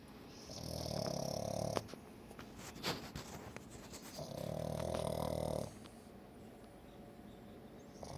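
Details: Sleeping pug snoring indoors: two long, rough, rumbling snore breaths about three seconds apart, each lasting over a second, with quiet pauses and faint clicks between them.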